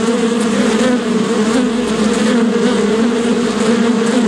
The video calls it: What does bee sound like? (Bee Buzzing) - Animal Sounds